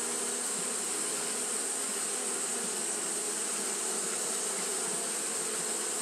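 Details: A steady buzzing drone from Japanese honey bees fanning throughout a hot day. The hum is even and unbroken, with a constant high, sizzling hiss on top.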